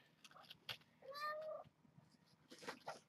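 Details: Kittens of a brown tabby mother cat, at play before breakfast in the morning; one clear harmonic meow rising then holding steady for about half a second, with light scuffling and thumps around it and a man greeting them.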